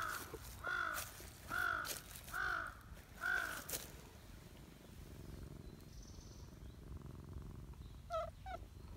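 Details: Silver tabby community cat coming over to greet with a cute cry: four short bent meows in quick succession about once a second, then quiet outdoor background and two faint brief chirps near the end.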